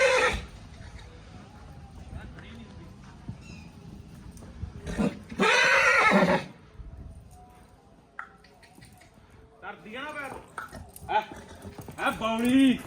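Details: Nukra filly, two and a half years old and 61 inches tall, lets out a harsh, loud whinny lasting about a second. Men talk throughout, with shorter wavering calls near the end.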